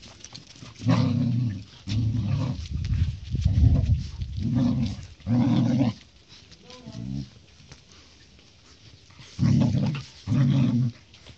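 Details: Low, harmonic growls from Thor, a Siberian Husky puppy, during a fight with a golden retriever puppy. About eight separate growl bursts come roughly once a second, with a quiet pause in the middle and light scuffling between them.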